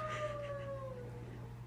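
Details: A Lhasa Apso joins in with wolves howling on a TV show, holding one steady, clear note that sags gently lower over about a second. A low, constant hum runs underneath throughout.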